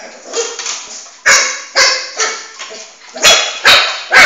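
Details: Flame, a Shih Tzu puppy about four months old, chasing his ball around the house until he tires; sharp, high yapping barks come in quick irregular bursts, roughly seven across four seconds, with softer yips between them.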